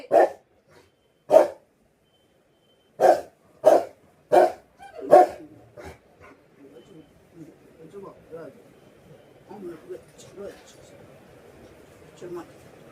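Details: Rottweiler kept as a pet, barking for attention and affection: six sharp, deep barks in an uneven series over five seconds, followed by low murmuring voices and soft household noise.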